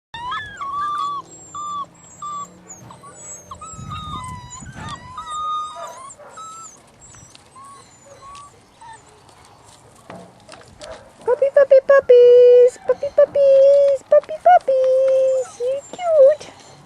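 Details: Puppies from one litter whining: strings of high, thin, wavering whimpers, each short and bending up or down, repeated rapidly; after a quieter stretch with faint rustling, louder, steadier, lower-pitched drawn-out whines follow one after another.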